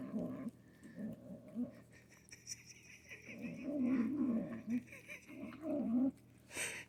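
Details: A Manx kitten defends her food while eating with gremlin-like noises: low, gurgling growls in uneven bursts that swell and dip, ending in a short hiss-like burst.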